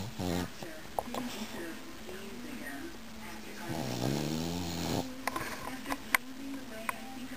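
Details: A tired male Boston Terrier, snoring and dreaming in his sleep, gives low, rasping breaths with a long rattling snort near the middle.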